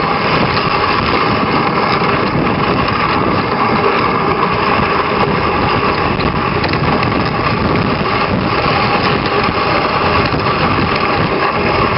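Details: A loud, steady engine drone runs throughout with no animal voice.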